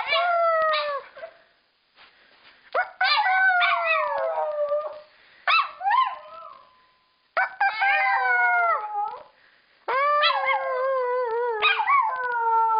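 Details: Household female dog that howls along and can copy a howled "I love you"; a series of drawn-out, falling, strongly harmonic howls separated by short silences, with a wavering note midway.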